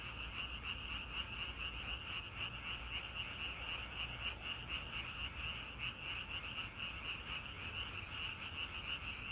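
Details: Many frogs croaking at once in natural surroundings, a thick pulsing wall of sound at a constant high pitch, the beats slightly uneven, with low-frequency hum underneath.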